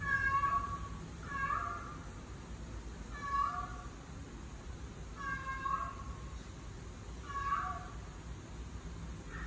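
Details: Female cat in heat calling, heard as drawn-out, wavering meows repeated roughly every two seconds, each falling slightly at the end, over a low steady background hum.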